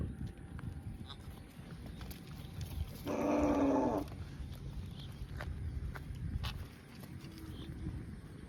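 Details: Cow grazing in a field gives one loud harmonic moo of about a second, steady then slightly falling, set against constant low rustling and chewing-like background noise.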